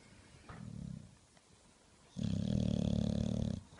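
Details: An English Bulldog snores while awake with deep, rattling, low breaths, a short one then a long loud one.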